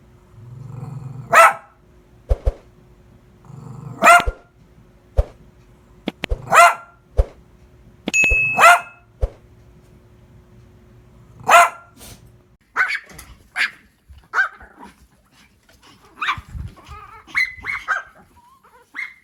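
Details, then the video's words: Dog giving a long series of loud, abrupt barks at irregular intervals of one to three seconds, shifting later into higher, shorter yelping barks and whiny notes, with a faint low rumble between some barks. "BAKING DOG SOUND [SOM DE CACHORRO LATINDO]"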